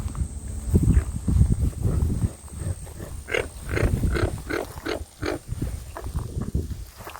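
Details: American bullfrogs call to each other with deep, low, burping croaks in the managed wetlands of Merritt Island Wildlife Refuge, Florida, near Black Point Wildlife Drive.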